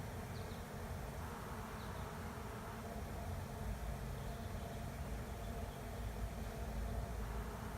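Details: Continuous humming drone of a honey bee swarm settling into an empty hive beside a driveway, low and thick throughout, with slight swells in loudness and a couple of faint high ticks early on.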